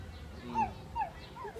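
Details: Seals arguing: two short, tonal wailing cries, each sliding down in pitch and about half a second apart, followed by a softer rising call, over a steady low rumble.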